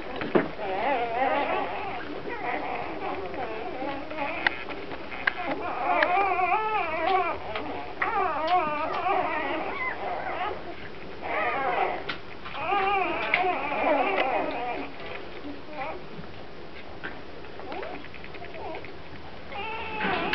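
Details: Grand Basset Griffon Vendéen puppies at the Viersenhoeve kennel, whining and crying in wavering, rising and falling whimpers repeated in bursts, indoors, with human voices speaking in between.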